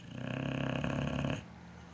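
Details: Big dog sleeping soundly; one long, buzzy, rattling snore swells for over a second and then cuts off into quiet breathing.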